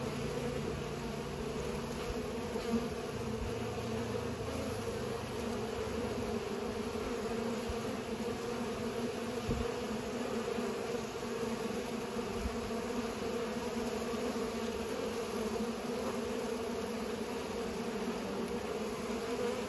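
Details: Bees pollinating, a steady droning hum with bands near 250 and 500 that holds unbroken for the whole stretch, a few faint low thumps underneath.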